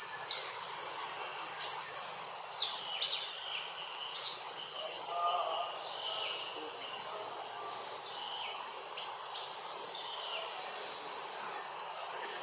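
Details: Loud crying from the monkey Jazzy, upset that fellow monkey Jane has not come to help; bursts of high, piercing rising-and-falling squeals in clusters every second or two, over constant low hiss.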